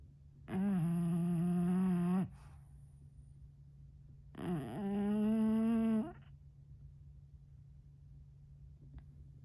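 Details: Sleeping bulldog snoring indoors: two long, steady, droning snores of about one and a half seconds each, low and richly harmonic, separated by a quiet pause, with faint room hum underneath.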